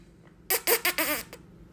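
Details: Two-and-a-half-month-old female Beagle puppy named Elly, grumpy and curious on her first day at a new home, gives a quick burst of four wavering, nasal yelps over about one second, just after a person says hey.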